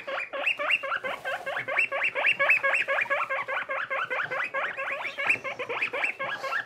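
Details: Young skinny guinea pig named Boniface, little and newly paired with companion Pushok, kept as pets: rapid run of short harmonic squeaks, each sweeping upward, about two per second, fairly steady, with faint rustling beneath.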